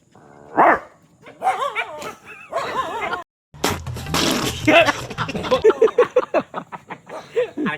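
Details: Four calm dogs, deliberately agitated by people, burst into wavering, yelping barks and whines that overlap with loud human laughter and chatter.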